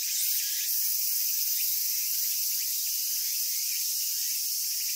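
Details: Cicadas in Japan: a steady, intense high-pitched whirring drone, slightly louder at the start, with faint repeated upward chirps running underneath.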